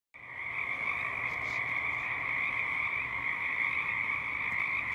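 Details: In early spring in a marsh, male Pacific chorus frogs call to attract mates, forming a dense chorus of overlapping high, rapid croaks that merge into a steady trill; Pacific chorus frog.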